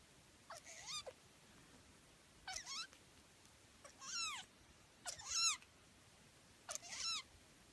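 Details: Baby Sphynx cats meowing indoors: five thin, high-pitched mews spaced about one to two seconds apart, each rising sharply then sliding down, some breaking into a brief wavering tail, with a quiet background.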